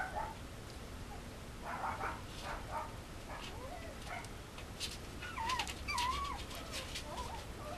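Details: Male Mame Shiba puppy at a breeder in Japan, giving short high whimpers and squeaky yips, wavering and rising, clustered toward the end amid light rustling and handling noise.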